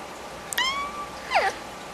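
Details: Yorkshire Terrier puppy yawning: a thin, high drawn-out squeak that slides gently downward, followed by a short, sharp falling whine about a second later, in a quiet room.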